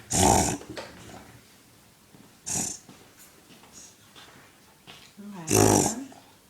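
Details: Male pet dog reverse sneezing indoors, likened to a rhino: three loud, harsh, snorting bursts about two and a half seconds apart, with quiet breathing and faint human voices between them.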